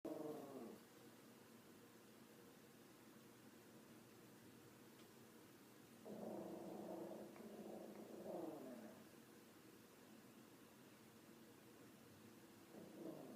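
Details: A female dog growls at something unseen, making low, rumbling harmonic growls in short bursts with long quiet gaps in between, faint against a steady indoor background hum.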